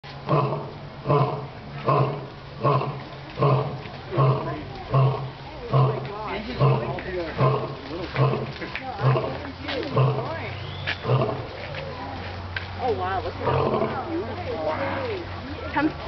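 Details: Captive lion at Franklin Park Zoo in Boston, Massachusetts, roaring in a deep series of grunting roars, about one every 0.8 seconds, fading into rougher grunts; excited visitors talk over the later part.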